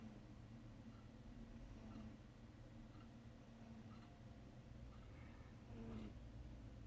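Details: Pet cat Charlotte asleep and dreaming, snoring softly: faint breathy pulses about once a second over a steady low hum, with a short low squeaky sound near the end.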